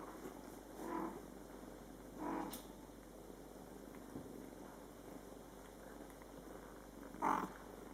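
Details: Scottish Fold kittens born July 22, 2012, with mother cat Coco caring for them in their first month; two soft, muffled meows early on, then a sharper, louder meow near the end.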